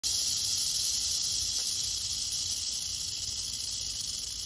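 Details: A western diamondback rattlesnake, curious about the person recording it, rattles steadily: an unbroken, dry, hissing buzz that stays even in loudness from start to finish, with no other sounds.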